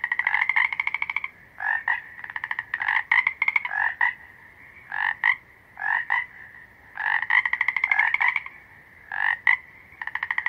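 A frog gives rapid, buzzy pulsed trills in short bursts separated by brief, irregular pauses.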